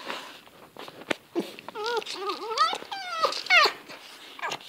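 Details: Fox vocalizing during zoomies: a series of high, bending whines that dip and rise, then a strained rising squeal near the end, over light scuffling and rustling.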